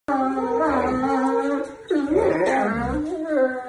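A husky howls in long, wavering tones that bend up and down like singing.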